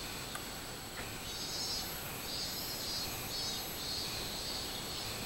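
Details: Robust cicada singing on 24 July 2016, a high, shimmering pulsed drone that swells in short regular beats, partly masked by constant rushing background noise.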